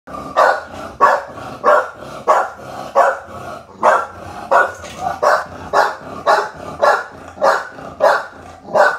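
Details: Adult female American Bully in the Philippines barking in a steady series: short, gruff, mid-pitched barks repeated about every two-thirds of a second, around fourteen in all, with no other clear sounds.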